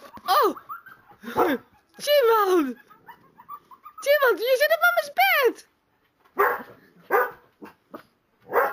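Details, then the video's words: Kuvasz dog howling indoors in response to a wolf howl played on a computer; wavering, sliding howls and yelps with harmonics, rising and falling in bursts, mixed with voices. "My Kuvasz meets howling wolf on the pc"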